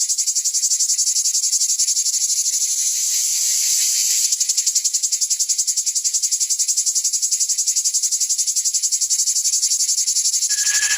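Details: Male cicada, the chicharra or cigarra, known in Náhuatl as chikilichi, said to foretell rain during the warm season; steady high rasping drone made of fast regular pulses, easing briefly then resuming, ending with a faint clear tone.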